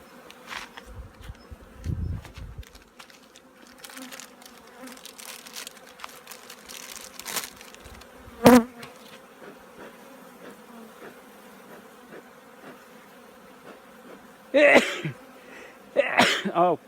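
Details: Steady humming of apiary honey bees during winter preparation, an unbroken mid-low drone overlaid by scattered knocks, a loud thump midway and bursts of handling noise toward the end.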